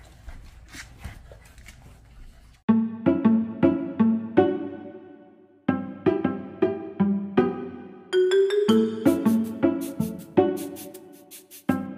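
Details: A bright piano or keyboard melody of repeated struck notes, rising higher near the end, after a quieter muffled opening.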